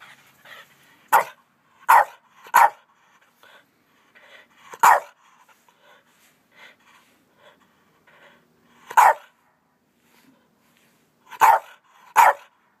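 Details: Two male Boston Terriers playing excitedly give sharp, short barks, some in quick pairs, in irregular bursts separated by pauses of a few seconds, with soft shuffling noises between them.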